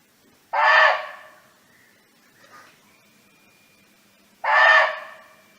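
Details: Barking deer living free in the wild, calling out to friends: two harsh, hoarse barks spaced about four seconds apart, with a soft faint whistle-like tone drifting in between.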